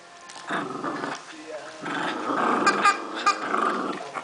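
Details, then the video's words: Puppy Rupert and Pipi the dog playing tug of war with a Christmas turkey toy; low rumbling growls in uneven pulses, joined by squeaks and a human voice. "Cute Puppy Rupert takes on Pipi the Dog in Tug O War"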